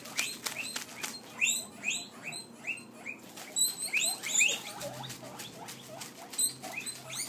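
Guinea pigs wheek over and over, shrill rising squeals calling out for food.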